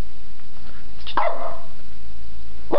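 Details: A young Boston Terrier gives two short, sharp, mid-pitched barks about a second and a half apart at a stuffed toy dog; the first is a little longer with a falling tail and the second is clipped, over a faint low hum.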